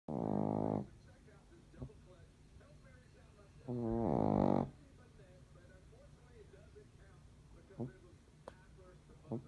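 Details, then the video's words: A sleeping Shih Tzu snoring: two loud, rasping, buzzy breaths about three and a half seconds apart, each lasting under a second, with a quiet room and a few faint clicks between them. "Shih tzu snores"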